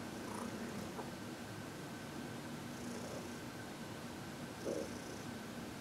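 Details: Soft, continuous purring from Heidi, a fourteen-year-old shelter-adopted senior cat, relaxed during a massage and reiki session on February 22, 2021; quiet indoor room, a low even rumble with a brief louder rustle near the end.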